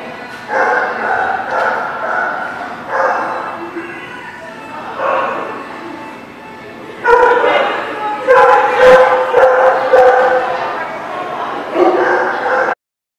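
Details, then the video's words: Dog recorded on 12/08/17 giving barks and yips, softer and more drawn-out at first, then a denser run of loud, sharp barks near the end. "The Barking Lot"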